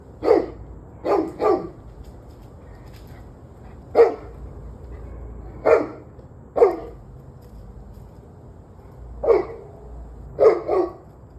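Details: Dog barking in the evening, 11/21/23, 7:06 pm: repeated sharp barks, some single and some in quick pairs, spread across eleven seconds with short gaps, over faint low background noise.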